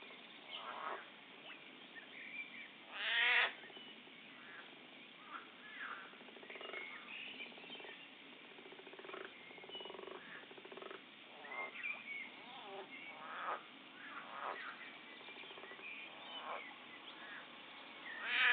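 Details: Frogs fighting, recorded in poor quality: harsh, rasping croaks and squeaky harmonic cries overlap in irregular bursts, with one loud strained squawk near the start and another at the very end, over a steady hiss.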